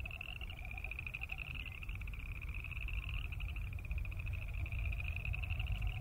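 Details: Chorus of boreal chorus frogs croaking: many high, rapid, pulsing trills run together continuously, joined early and late by a lower pulsed trill, over steady low-pitched background rumble.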